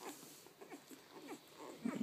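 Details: Two-day-old puppies feeding, giving a quick string of soft, short squeaks and whimpers, several each second, rising to a louder squeal at the end.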